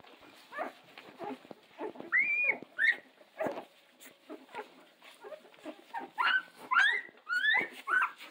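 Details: Litter of Central Asian Shepherd puppies: a cluster of thin, high, rising-and-falling whines and squeaky whimpers, several overlapping, in uneven bursts about twice a second, louder toward the end.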